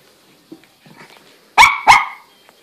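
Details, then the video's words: Shih Tzu pup confronting a walking stick, giving two loud, sharp yaps in quick succession after soft shuffling noises. "Shih tzu pup V Walking stick"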